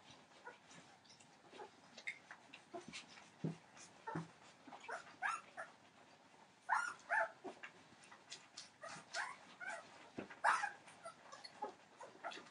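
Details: Entlebucher Mountain Dog puppies, 15 days old, from a litter born 28 December 2013, giving scattered high, thin squeaky whimpers and short yips, some drawn out, among soft rustling and shuffling.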